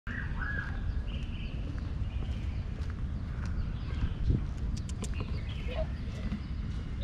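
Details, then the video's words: A male cat purring loudly while being petted, showing his satisfaction; a steady, dense low rumble runs throughout, with faint whistled bird chirps higher up in the background. "Cat purred loudly to show his satisfaction with my petting."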